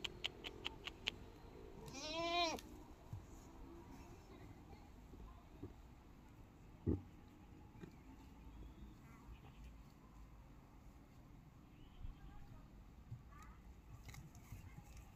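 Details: Farm goat gives one wavering, quavering bleat near the start, followed by a long stretch of quiet background hiss with a few faint knocks and clicks.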